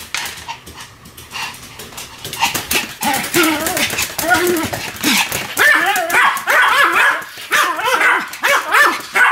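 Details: Duet barking from two Pomeranians named Sam and Marin. Quieter at first, it builds into loud, overlapping yaps and warbling, up-and-down howling cries.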